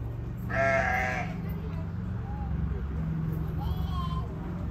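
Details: Wombat pair Yuki and Wine chatting in the afternoon: a strong, raspy bleating call near the start, then a faint, thin, higher note near the end against a low droning background.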